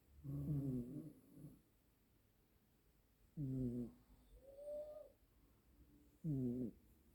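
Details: Two Siamese cat siblings snoring in a duet; three low, buzzy, harmonic snores roughly every three seconds, with a short higher gliding tone between the second and third, in a quiet indoor setting.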